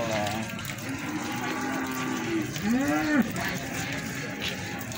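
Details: Feeder cattle at a busy livestock market in Plaosan, Magetan, Indonesia, giving a short moo that rises and then falls, under a constant din of people talking and crowd noise.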